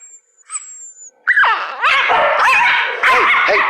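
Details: A Dachshund under a blanket gives a run of bending, whiny grumbles and yowls, annoyed and protesting at being poked.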